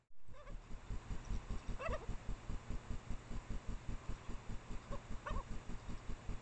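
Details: Japanese badgers, an in-heat female and a male, mating out of sight near her sett in secondary woods, caught by trailcam around 1 AM in late April; rapid low throbbing pulses run throughout, broken by two brief higher yelping cries.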